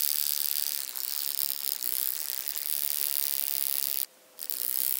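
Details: Wing-buzzing toothed grasshopper, Stenobothrus rubicundulus, recorded at Mala Ucka, Croatia, on 26 July 2023; a dense, rasping high-pitched buzz runs almost without pause, broken by one short silence near the end.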